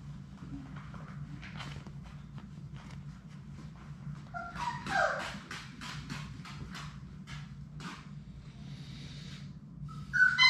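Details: Labrador Retriever puppies, a litter of six, at play in an indoor puppy play room; short high whimpering squeaks rise and fall near the middle and return at the end, over scuffling clicks, pattering paws and a low steady hum.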